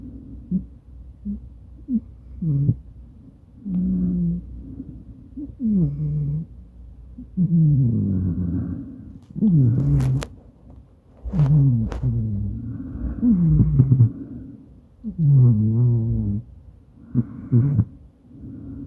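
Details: House cat Madoka, a Maine Coon, snoring in its sleep beside its owner, phone-recorded: deep, humming snores with falling tones, about one every two seconds, plus a couple of sharp clicks.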